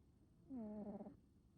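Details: Male American Shorthair cat with a black smoke coat snoring; one short, low, droning snore lasting about half a second, steady in pitch with a slight wavering at its end, in quiet surroundings.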